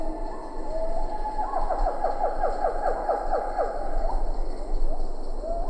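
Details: Close calls of a siamang in Ketambe Forest, lar gibbons faintly behind: a rapid run of short, sharply falling notes repeated about every quarter second, then a few scattered rising whoops amid steady insect-like hiss.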